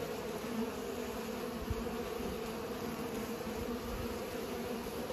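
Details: Pollinating bees make a dense, unbroken drone of overlapping low buzzes that holds an even pitch and loudness throughout, broken only by a brief tap partway through.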